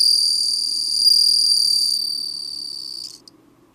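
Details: Bell cricket singing: a steady, high, ringing trill with bright overtones, holding evenly for about three seconds before breaking off into near silence.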